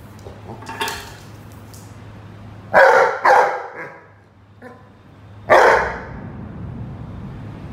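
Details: Rhodesian Ridgeback playing with a watering can, barking in loud bursts: a double bark, then a softer yip and another sharp bark, with quieter clattering earlier and a steady low hum throughout.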